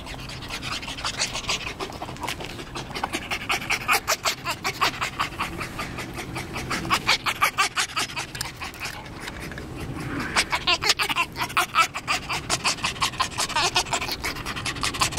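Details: Tame, very excited fox, pleased to see its owner and worn out afterward. It pants rapidly and breathily, close up, in rhythmic bursts of about three breaths per second. The panting comes in waves, with brief pauses and faint rustling.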